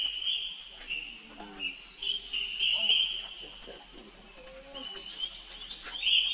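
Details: A baby monkey is crying for help while its sister Rainbow hurries off. High, steady squeals are broken by brief dips, with a few low grunting sounds in the middle.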